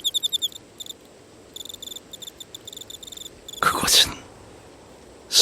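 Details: Grass insects, crickets among them, singing on an autumn evening in temple grounds, a serenade calling for mates; high, pulsed chirps in short rapid trains during the first three seconds, then two loud, broad rustling bursts.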